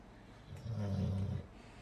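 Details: American Bulldog snoring like a human, a single low, rumbling snore lasting under a second in a quiet setting.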